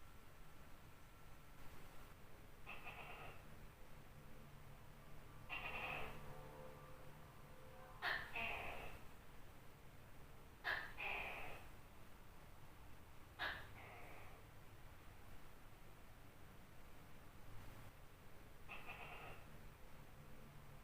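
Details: Large tokay gecko calling at night: a series of harsh two-part calls, each a sharp clicking onset followed by a buzzy, drawn-out note, about six calls spaced two to five seconds apart over a low steady hum.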